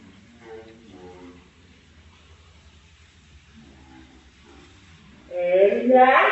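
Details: Cats in a fight: soft murmuring meows early on give way to a sudden loud, wailing, rising yowl near the end, rich in harmonics and quavering in pitch.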